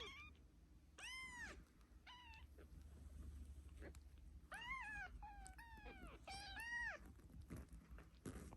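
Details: A kitten mewing repeatedly, about eight loud, bright, arched cries in quick succession, some rising and breaking at the top, with light handling noise beneath.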